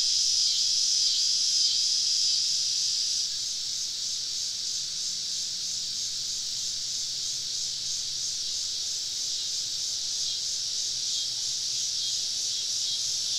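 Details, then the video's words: Summer evening cicada chorus recorded while camping deep in southern woods, many insects around: a dense, steady high-pitched buzzing hiss with faint slow pulsing, volume dipping slightly after the first three seconds. "Southern Evening Summer Cicada Symphony"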